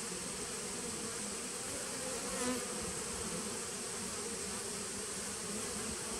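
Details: Honey bees of a nucleus colony started in 2017, recorded 19 September 2018: a steady, dense droning hum with low bands holding even throughout, and a faint fizzing hiss above.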